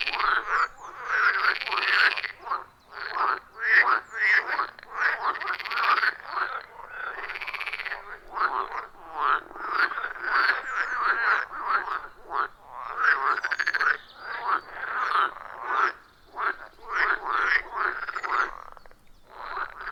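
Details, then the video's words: Frogs in full chorus at a wild forest pond, recorded with iPhone 14 Pro plus Shure MV88+; rapid pulsed croaks rise and fall in short bursts, separated by brief lulls, many animals calling over one another in a clean natural setting. "30 Minutes of Frog Sounds at a Forest Pond"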